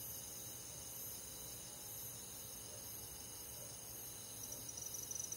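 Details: A dense chorus of crickets and other insects chirping steadily in high, ringing tones on a summer night in a forest.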